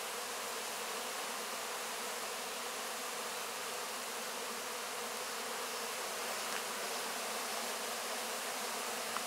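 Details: Many honey bees swarm over wax cappings after the 2024 honey harvest, licking up the remaining honey; an even, continuous droning hum without pauses, faint ticks near the end.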